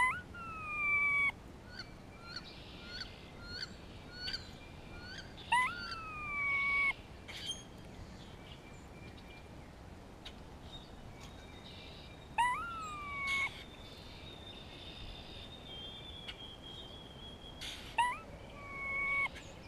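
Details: Grey squirrel calling in spring, communicating with another squirrel and reacting to a hawk close by: drawn-out nasal, harmonic moans that start sharply and then slide down and level off, about a second each, in bursts, over faint bird chirps.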